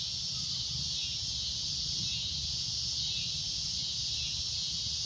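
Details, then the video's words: Shrill, steady droning of cicadas at golden sunset, a dense high buzz that rises and falls softly in waves above faint low background noise. "Cicada A Loud Shrill Droning Noise"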